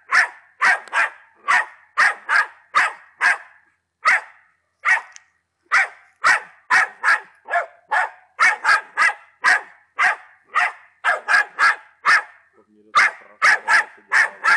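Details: Attila, a Patterdale Terrier aged ten months, barks persistently: rapid harsh barks in clusters of two to four, brief gaps around four and twelve seconds, then renewed barking.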